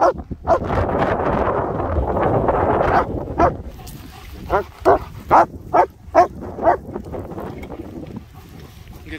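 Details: Two German Shepherds, Nico and Zeeva, playing outdoors in Scottish Borders sunshine near Hawick, filmed on an S23 Ultra phone: human talk first, then a run of sharp harmonic barks, roughly seven in three seconds, with faint background hum.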